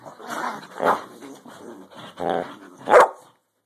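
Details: Dogs at play give a string of rough, rising-and-falling growls and grumbles, ending in one loud sharp bark just before silence.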